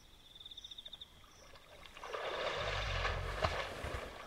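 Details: Wild hippopotamus at night by a river in Kafue National Park, Zambia, in the African bush: a loud, rough, wheezy burst with deep rumbling swells after a quiet start. Pulsing insect trills carry on in the background.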